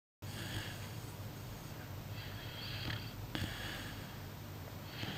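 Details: A sleeping puppy breathes softly in a small indoor room: gentle hissing breaths about every one to two seconds over a steady low hum, an early quiet stage before heavier snoring starts.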